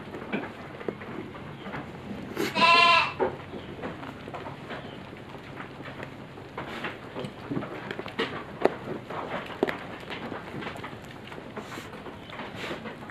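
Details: Goats on a farm raised for harvest in five days; one loud wavering bleat near the start, followed by rustling, clattering and general pen noise.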